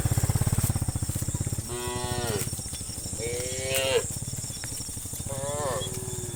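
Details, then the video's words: Tame cattle walking in a crowd towards grass, lowing in three drawn-out harmonic moos, the middle one rising, over a steady low rumbling throb and a faint high hiss. "Funny Cow Sounds"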